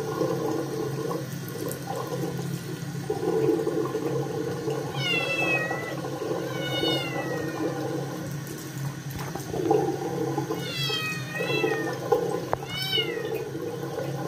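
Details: Scottish kitten meowing loudly because it does not want a bath; wavering, drawn-out meows around five to seven seconds, then a denser run of rising-and-falling cries from ten to thirteen seconds, tap water running throughout.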